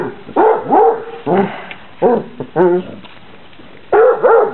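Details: Eight-week-old Basset Hound puppies on their first time outside, in Poland on 26 December 2008, giving a series of high, wavering yelps and whiny barks in short bursts about once a second.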